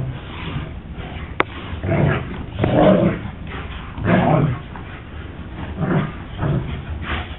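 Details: Two pet German Shepherds playing in the year's first snowfall; rough, low bursts of barking and growling come every second or so in uneven clusters, with a single sharp click early on and a quiet background between outbursts.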